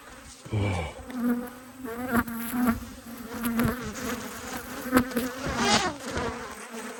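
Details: Honey bees agitated by a hive inspection, two colonies in Australia, March 2022; a continuous droning hum from many bees, with close fly-bys and scattered tapping and handling noises.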